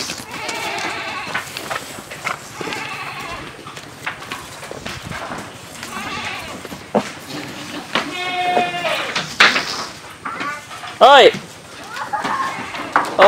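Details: Tall black male breeding goat on a farm, with several goats giving wavering bleats, some long and quavering, others short and sharp, over handling noises, knocks and occasional human voices.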